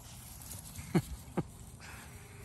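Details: Male Basenji, a breed that rarely barks, lets out two short low barks about half a second apart over quiet background, each a brief broadband burst.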